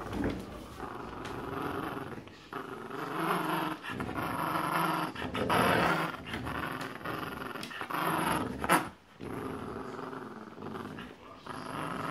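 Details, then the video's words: Two pet dogs, a Boxer and a Jack Russell Terrier, play tug of war indoors over a penguin toy; a long rough rumbling growl runs nearly continuously, swelling and easing with short breaks, with a woman's voice now and then. "Penguin Tug of War - Boxer Dog vs Jack Russel Terrier"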